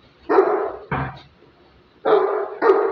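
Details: A Great Dane in attack and guard training gives four heavy, harsh barks: two close together, a pause of about a second, then two more in quick succession.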